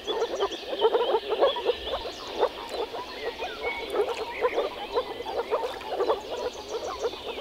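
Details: Moor frog males gathered to mate in a small forest pond in early spring, croaking through vocal sacs: a dense chorus of soft, short, low bubbling pulses overlapping continuously, with faint higher bird-like notes above.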